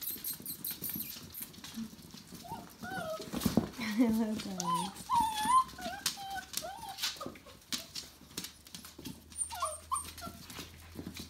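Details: Tamaskan puppies at five weeks old, a litter whining in overlapping, wavering high cries that rise and fall, bunched through the middle and returning near the end, with a soft human voice and rustling behind.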